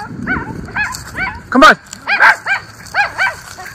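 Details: Two Miniature Schnauzer brothers, Levi and Lucky, in their autumn yard in Aroostook County, Maine, on October 13, 2024, reacting to the neighbours: a string of short yips and whiny barks with a couple of louder sharp barks in between.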